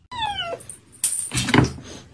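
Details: Hungry stray kitten living on the street, meowing for food: a single clear, tonal meow that slides downward over about half a second, followed by knocks, shuffling and other household noises.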